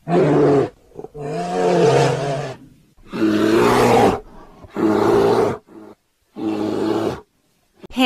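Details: Brown bear (Ursus arctos) gives five deep, throaty roars, each about one to one and a half seconds long, with short silent gaps between them.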